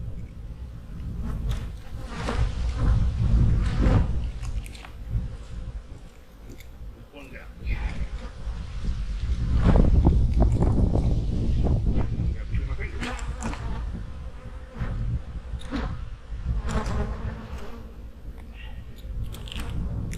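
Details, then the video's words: Fall hive work among honey bees: a deep, swelling collective hum that rises and falls in loudness, with occasional close passing buzzes and some talking in the background. "My hives are humming along in the fall!"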